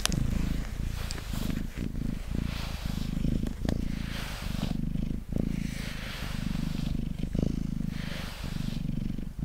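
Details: Purring of Mango, a pet cat sitting on a table while being brushed; deep continuous rumble pulsing with each breath, broken every second or so by the airy swish of brush strokes.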